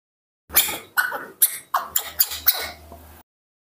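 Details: Baby monkey Nomi, waiting impatiently for milk, giving a rapid run of about seven short squeaky screams, sharp and breathy, packed within under three seconds, with a faint low hum beneath.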